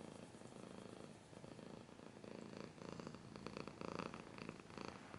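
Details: A cat purrs in rhythmic low throbbing bursts, with faint scratching and crackling noises layered over the second half.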